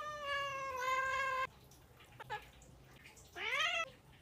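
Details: Cat from a TikTok compilation of funny cats: a long, steady meow, a pause with soft noises, then a short rising meow, over a grainy indoor background.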